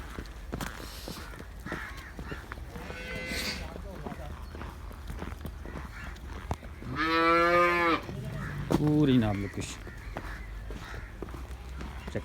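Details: Cow at a Girlendo cattle farm in Pakistan where cows are sold: one loud, drawn-out moo of about a second, then a shorter, lower moo, over faint farm background noise and scattered clicks.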